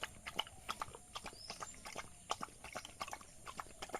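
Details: Village dog eating rice, sharp crisp chewing clicks and lip smacks in quick irregular bursts, with one brief faint tonal sweep midway.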